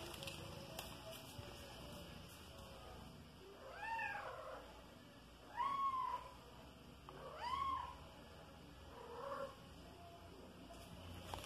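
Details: Domestic kitten Soneca, five months old and chasing flying insects at home, lets out four short, fairly soft meows in a loose series, some rising and falling, with steady background hiss and a few faint knocks.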